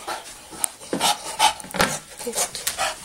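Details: Penny, a female Bulldog, humping and playing on a new stability ball indoors, panting in quick breathy bursts about every half second, with rubbing and scuffing against the ball.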